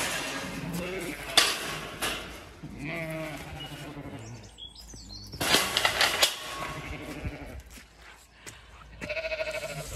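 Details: Pregnant Zwartbles ewe LittleBit on a County Kilkenny farm in Ireland, calling after being left in the field; a few quavering bleats come early, then handling noises and a brief higher tremulous bleat near the end.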